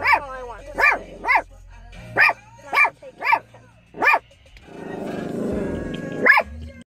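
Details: Pet shepherd dog barking at someone: several clipped barks spaced about half a second apart, then a pause filled with rustling noise before one final bark.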